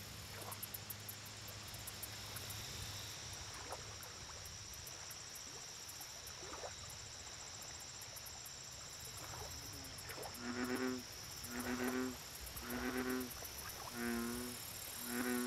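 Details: American bullfrog at a lake: after about ten seconds of quiet ambience, a run of five low, droning, harmonic notes repeats roughly once a second, over steady high insect chirping and occasional water splashes.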